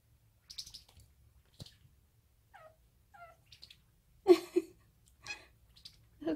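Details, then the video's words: Sinbi, a five-month-old odd-eyed female Munchkin short-leg kitten, chatters at a toy, a habit apparently picked up from her housemates Yona and Mong. A few soft, short tonal chirps are followed by louder, fuller chirps, with quiet human speech nearby. "고양이 채터링 ( 5개월 먼치킨고양이 신비 여리여리채터링!)"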